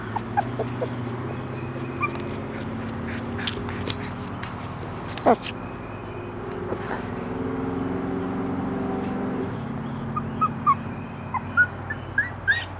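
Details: Three-week-old Airedale Terrier puppies from a breeding litter in East Tennessee give short, high, rising squeaks and whimpers, clustered toward the end, over a low steady hum with a human voice talking at intervals.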